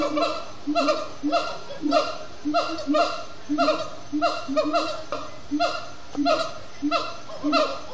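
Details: Extended singing by siamang gibbons at sundown in Disney's Animal Kingdom: repeated pulses of resonant, yelping barks stacked with harmonics, each cluster falling slightly, arriving in an uneven but persistent rhythm.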